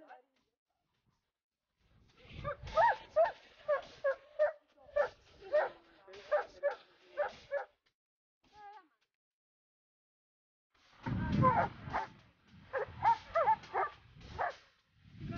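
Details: Dobermann at an Italian Dobermann club day in Latina, Italy, on 14 September 2014, during training: two bursts of sharp barks, about three a second, separated by a pause of several seconds, with a person's praising voice nearby.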